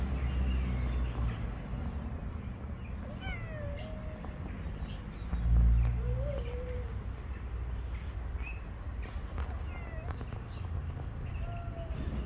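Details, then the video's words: Street-living male cats squaring up to fight, giving a few short, wavering mid-pitched yowls, scattered and irregular, against constant low rumble with a brief louder thump midway. "Two male cats came face to face to Fight."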